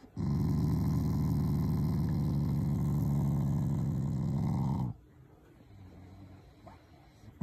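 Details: A loving family Shiba Inu gives a long, deep, pulsing growl for nearly five seconds as an expression of affection toward its owners, not anger; it ends suddenly, followed by soft background sounds.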